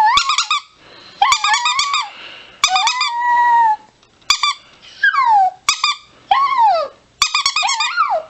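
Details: Chihuahua indoors, giving bursts of high, squeaky, whining yips in short rapid clusters, some calls sliding sharply downward, with sharp clicks between bursts and brief pauses of near silence.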